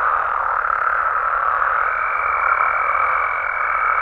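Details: Frogs and toads calling at night in Mexican amphibian habitat: a dense, continuous croaking chorus with steady overlapping trills, joined halfway through by a sustained higher whine.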